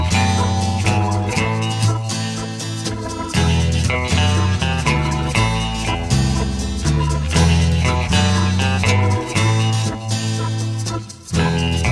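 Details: Loud blues-style guitar music with bass and a steady beat; no animal sound present.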